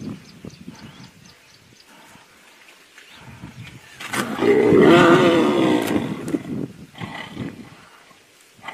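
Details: Tigers fighting at Tiger Canyon, South Africa: after a few quiet seconds of low grumbles, one long, loud, rasping roar swells and fades over about two seconds, followed by softer snarls and huffs.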